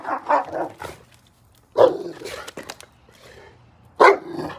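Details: A dog playing in the snow gives three loud, harsh single barks spaced well apart, at the start, near two seconds and near four seconds, with quiet snuffling and faint rustling between them.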